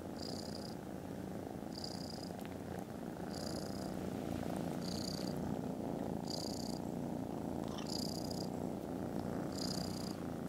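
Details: Contented foster kittens snoozing after lunch, filmed Friday 18th December, purring very loudly: a steady, dense low rumble runs unbroken throughout, with a faint high chirping tone repeating about every one and a half seconds.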